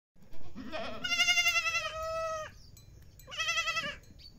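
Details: Goat kids and goats at feeding time in Siri, April 2024: a long, quavering, harmonic-rich bleat lasting over a second, then a second shorter wavering bleat after a brief pause.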